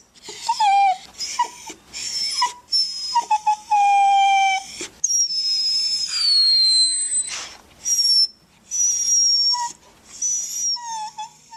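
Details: A dog whines in thin, high-pitched tonal bursts that waver and slide; this one gave a sharp whine before an operation, a sound signalling pain, fear or anxiety.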